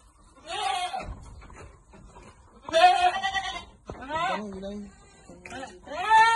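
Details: While goats on a farm receive vitamins, several short, trembling bleats rise and fall, one lower and more drawn out, interleaved with quiet pauses and people's voices.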